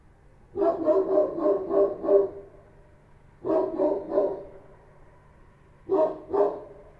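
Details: Street dogs, Kochi dogs, bark at night in Kabul in three quick bouts of deep, rough woofs, with a low hum underneath.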